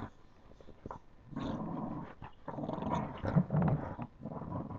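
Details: Puppies playing, giving low rumbling growls in bursts of one to two seconds with short pauses between, mostly deep and throaty, with scuffling sounds of play.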